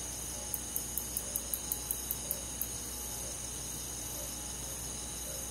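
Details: Crickets and other forest insects chirping through a summer night in the countryside: a burst of around ten rapid ticking pulses in the first seconds, set against constant piercing trills and a low hum.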